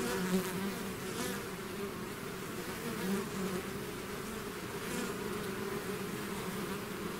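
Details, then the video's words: Bees in a swarm outside their hive, a dense humming drone with faint rising and falling swells as individual bees fly close past. "bees therapy swarm natural buzzing sound"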